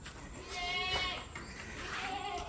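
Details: Osmanabadi goat on a Maharashtra goat farm, kept in a shed and fed fodder each evening; a single harmonic bleat wavers for about a second, with faint farm background noise.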